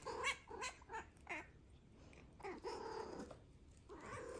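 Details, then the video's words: House cat indoors making rapid, rolling chirps and short meows, several quick calls per second early on, then longer wavering murmuring notes in a small room. "Serious yap session"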